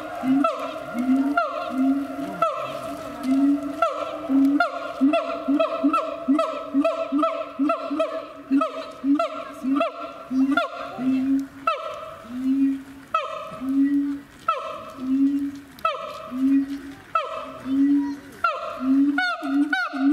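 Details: Siamang kept at Chiba Zoological Park in Japan giving a long bout of loud hooting barks, quick at first and then spacing out to one every second or so. Each bark rises and falls, with a faint steady hum beneath.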